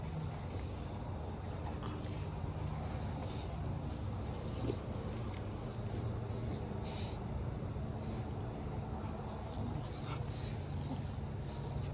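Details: Steady rumbling engine and wind noise, like a moving car or boat, fills the recording, with faint speech and no clear animal sound.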